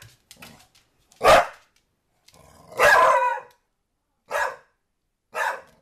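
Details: Pet dog NuNu barking at a soccer ball she is chasing; four short, harsh barks, one longer and rougher with a growly edge, separated by pauses, with faint low murmurs between them.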